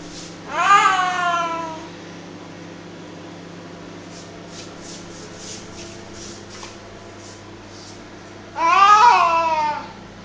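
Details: Male pet cat making weird noises indoors while playing tug of war with his favourite duster; two loud, wavering yowls that fall in pitch, one near the start and one near the end, with a quiet stretch of faint rustles between.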